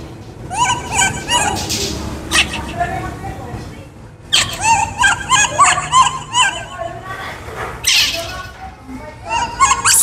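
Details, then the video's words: Baby monkey named Kaka, a wild monkey, screaming because it is hungry for fruit: runs of wavering, harmonic squealing cries repeated in quick bursts, with a short pause midway and background voices. "Kaka monkey screams because he is hungry for fruit"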